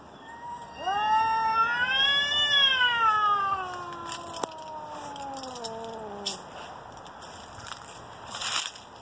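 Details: Two domestic cats about to fight: a loud, arching yowl that rises, peaks and slides down over five seconds, followed by scattered clicks and rustling noises.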